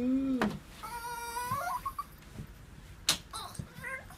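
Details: Female Pomeranian Chibi, brought from the US and unable to bark, greets her owner with cat-like meowing after three days in someone else's care, holding back excited urination. Thin, whiny, rising cries with bright overtones, a brief voice at the start, and sharp clicks.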